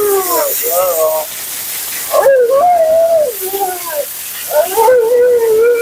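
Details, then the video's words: Mila, a talkative female Siberian Husky at her second-ever groom, vocalizes during her bath: drawn-out, wavering howl-like moans that rise and bend in pitch, in three long phrases separated by short pauses, over a steady background hiss of water or a dryer. "Talking Husky FURNADO Bath and Blowout"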